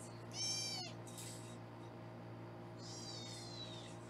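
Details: Two thin, high kitten meows, one early and one near the end, from foster kittens being weighed on a Los Angeles kitten cam, over a constant low room hum.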